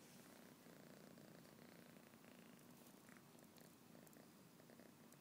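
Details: Fathi, a tired pet cat filmed on an iPhone, purrs in a low, steady rumble that runs unbroken through the whole stretch, faint beneath a soft hiss of room noise.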